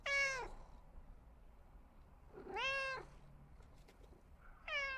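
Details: Domestic cat repeating short, bright meows about every two seconds, each one swelling and sliding down at the end; otherwise quiet indoor background.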